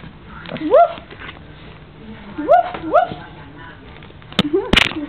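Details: Five-month-old Chihuahua puppy playing in bed: short rising whiny yips, one near the first second and two close together around two and a half to three seconds, over a woman's coaxing voice and soft background music.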